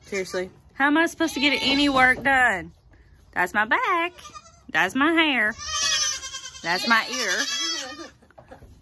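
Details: Baby goats from the 2022 kidding season bleat loudly in wavering, quavering cries, several overlapping, with a person talking between calls.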